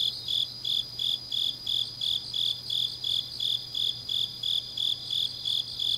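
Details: Grass insects of a deep autumn night in Changnyeong, South Gyeongsang Province: bright, high chirps pulse about three times per second with clockwork regularity, backed by a steady high-pitched insect drone and faint low hum.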